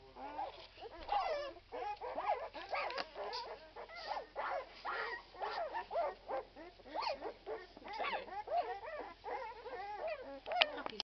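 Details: A litter of twelve-day-old Irish Red and White Setter puppies whimpers and squeaks almost nonstop, many short, high, overlapping yips and whines tumbling over each other in a busy chorus.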